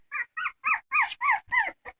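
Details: Whining dog, crying persistently: a quick series of short, pitched whimpers with arching tones, some louder and harsher in the middle of the run, ending in two brief faint yelps.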